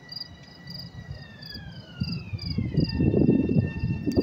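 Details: Chirping crickets in New York City, recorded May 28, 2024. Rapid, regular high chirps come about three per second over a rising traffic rumble, with a long, slowly falling tonal sound crossing behind them.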